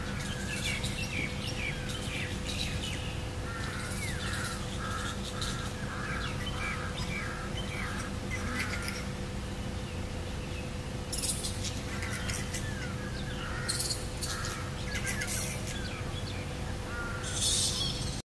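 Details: Variable flying fox (Pteropus hypomelanus) during pairing: a run of short, harsh squawking notes with curved, stacked tones. They come in quick bursts, several overlapping, over a steady low hum and background noise.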